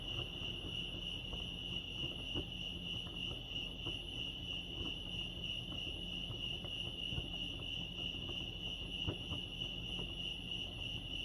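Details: Crickets chirping at Lake Arrowhead, California: a continuous high, pulsing trill, steady throughout, with fainter overtones above and a soft low rumble underneath.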